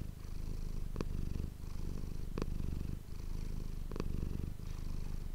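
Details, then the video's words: Purring of the domestic cat Manis, captured up close with an ASMR microphone: low, throbbing and continuous, with a soft click-like break near each second where the breath turns over. "ASMR cat purring ❤ Manis die aan het spinnen is"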